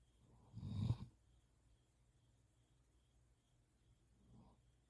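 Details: Standard Poodle, a large dog, asleep with its head pillowed on a person's arm, gives one loud, low, rasping snore lasting about half a second, then a much softer snuffling breath near the end; otherwise quiet indoors.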